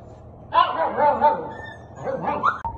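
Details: Blue-eyed Siberian Husky puppy, a 55-day-old female with distinct markings, recorded 3/5/2023 at 8:40; a couple of short, whiny, harmonic yelps and squeals in two bursts, with a man talking nearby.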